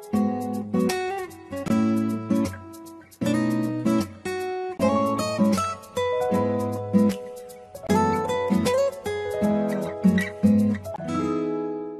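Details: Acoustic guitar strumming in repeated bursts of chords, with no other sound.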